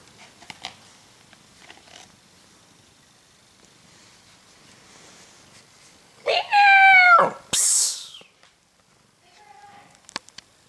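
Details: Domestic cat wearing its favourite hat gives one drawn-out, harmonic meow lasting about a second, followed by a short broadband hissing burst; soft clicks and faint handling noise before and after in a quiet room.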